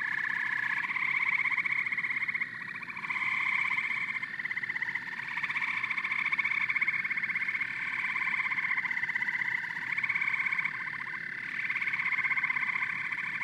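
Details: Frogs and toads in full chorus: dense overlapping trilled croaks and chirps, waves of louder calling every few seconds over a continuous background of pulsing voices.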